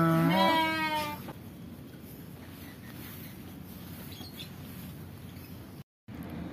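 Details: Garut sheep kept near a village house in Cianjur Selatan, West Java, Indonesia; one loud wavering bleat in the first second, then quiet rural background hiss.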